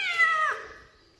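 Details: A kitten lets out a short, bright meow that starts loud and dips in pitch, then trails away into quiet within half a second.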